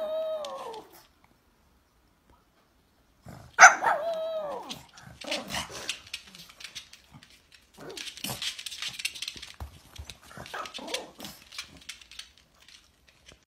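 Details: Pet pug barking in reaction to its owner's coughing, which it dislikes. A whiny, wavering yelp opens, then a sharp, loud bark comes near 3.5 seconds, followed by long stretches of rough, noisy bursts with softer barks mixed in.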